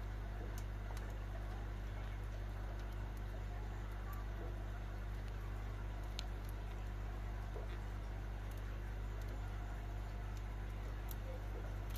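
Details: A constant low electrical or mechanical hum fills the background, with soft irregular taps and rustles over it. No bird or other animal voice stands out.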